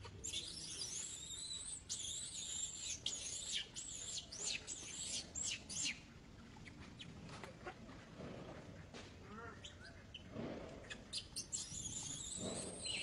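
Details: A young monkey refuses to be taken, clinging to an old monkey while screaming. Long shrill wavering squeals run almost without pause for six seconds, a quieter stretch follows with faint calls, and piercing screams return near the end.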